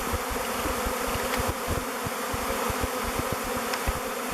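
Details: A swirling mass of thousands of honey bees picking another log hive, Bee Beard, to move into; thick unbroken buzzing with rapid low-pitched wingbeat pulses beneath it.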